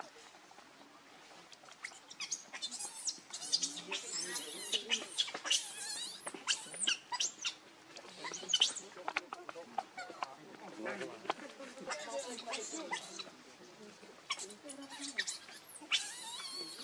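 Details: Baby monkey Leo, hungry and crying to beg its mother for milk: dense, shrill squealing cries with sharp, loud bursts, nearly continuous over the stretch, with faint background noise.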